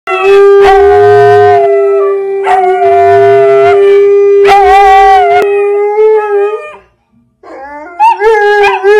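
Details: A Siberian Husky, teaching a puppy to howl, gives long, steady, tonal howls that waver slightly and rise at the end.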